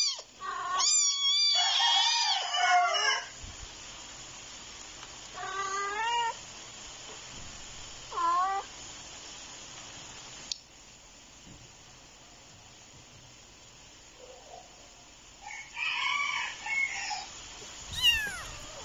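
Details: Two little kittens fighting, giving high wavering yowls and meows in short bursts, a cluster at the start, single cries near six and eight seconds, then another squabbling burst toward the end, with quiet gaps between.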